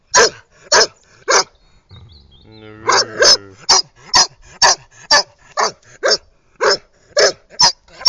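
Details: Playful barking from Scarlett the Irish red setter on her 2010 walk round by the pool: quick uneven sharp barks, a short whining yelp after the first three, then a faster volley of barks.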